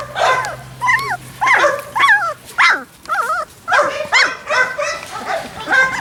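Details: Labrador Retriever puppies, dated 28 October 2013, on their first, unhappy day on the lawn: a steady series of wavering, high-pitched whimpers and yelps, roughly two per second, several pups calling over one another.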